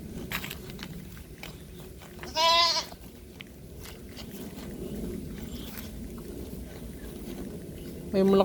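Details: Goat calling at a farm after its young vanished: one short tremulous bleat, a long stretch of rustling background noise, then the start of another bleat at the end.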